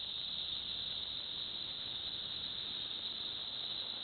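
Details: Cicadas in Villa Park, Illinois, give a steady, unbroken high-pitched drone that holds one even tone with no pauses across the whole stretch.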